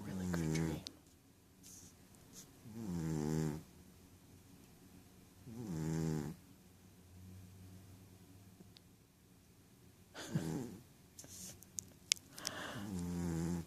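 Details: Dreaming in his sleep, the Ragdoll Rohan snores in a slow, uneven rhythm, about five low, gravelly breaths spaced two to three seconds apart, with a few soft clicks and rustling near the end.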